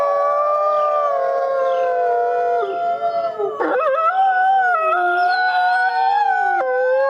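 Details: White wolf howling against a forest backdrop: long, sustained, resonant tones that slide and break around the middle, with several overlapping howling voices at different pitches throughout.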